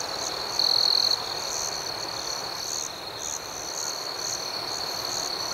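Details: Crickets at night produce a sustained high-pitched trill with rapid chirps repeating about four times a second, interrupted early by a half-second louder whine.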